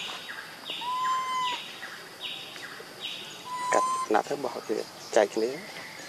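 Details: Infant monkey Leo, crying for his mother's milk, gives a steady whistled wail, then a second flat cry, among repeated sweeping rasps and a quick burst of clicks and knocks near the end.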